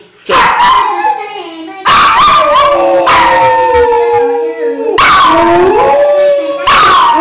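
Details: Molly, a pet Briard, howls loudly in reaction to one particular phone ringtone, long wavering tones sliding down in pitch, broken into four surges of about one to two seconds each, with yips at the starts.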